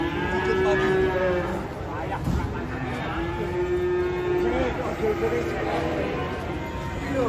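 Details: Cows moo while being unloaded from a truck in Indonesia, the animals stated to be females; several drawn-out, steady low moos overlap one another amid crowd chatter and background noise.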